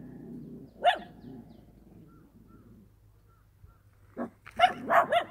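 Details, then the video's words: Dog barking in the countryside, with birds and gravel footsteps heard at times: a single sharp bark, a quiet stretch with faint chirps, then a run of four loud barks. "개 짖는 소리"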